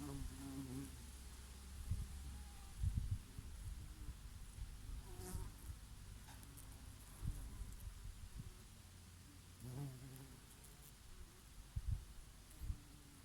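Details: Summer bees grazing on their favourite oregano blossoms: low buzzing that swells and fades in bursts as individual insects pass near, with a bumblebee here and there and light breeze behind.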